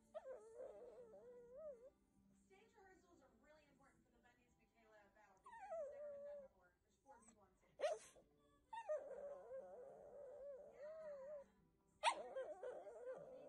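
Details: Shih Tzu puppies whine in wavering, quavering moans, rising and falling in long drawn cries with short pauses, with two sharp clicks or knocks and some faint background speech.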